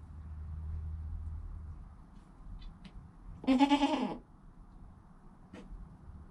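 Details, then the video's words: A newborn goat kid named Joel, within an hour of his birth, with his calm mother Penny nearby; one short wavering bleat midway, set against a low hum and a few faint rustles, filmed on a GoPro. "Baby Goat - One Hour Sound and Video"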